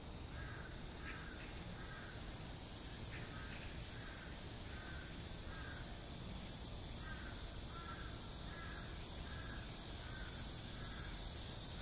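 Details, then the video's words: Cicadas singing in high summer in front of Gwanjeong Library at Seoul National University: a steady high, shrill buzzing chorus broken by loud pulsing surges about every second, with repeated mid-pitched calls and a constant low rumble beneath. "한 여름 매미소리"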